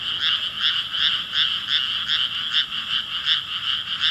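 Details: Frog chorus recorded on 5 May 2017: dense overlapping croaks pulse about two to three times per second in a steady band, many voices blending into a continuous rattling wall of sound.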